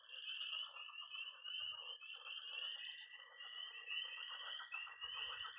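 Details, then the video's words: Frogs and toads calling at night by a Missouri pond in early spring; high peeps repeat in rapid rhythmic bursts about every half second over an unbroken trill, with lower croaking notes mixed in. "20 minutes of toads and frogs, sound only!"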